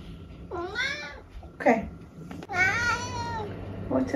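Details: Eric, an elderly tabby from England, answers a woman's question with two drawn-out meows, each rising then sliding down, with a short burst of her voice between them in a quiet room.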